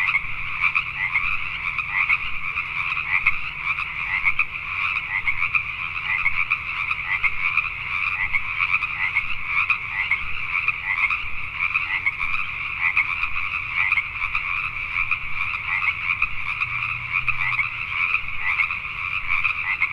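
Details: A nighttime chorus of Pacific tree frogs in Richmond, British Columbia, Canada: countless rapid, crackling croaks blend into an unbroken shimmering drone lasting the full stretch, with a quiet low background hum.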